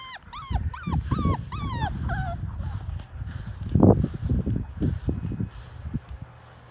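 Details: Labrador Retriever puppies at five weeks old, taking their first dip in a baby pool, let out quick rising-falling whines for two seconds, followed by splashing and low thumps in the water.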